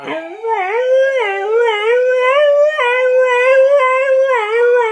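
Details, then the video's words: Siberian husky howling in imitation of a police siren: a sustained, wavering mid-pitched howl with rich overtones, gently rising and falling in repeated undulations with no break for about four seconds. "Cute husky howling imitates police siren"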